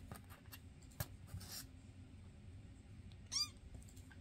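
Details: Domestic cat in a home with foster cats Basil, Oodles and Zimothy, filmed May 22, 2024: a single short, high arched meow near the end, with faint rustling and soft room noise before it.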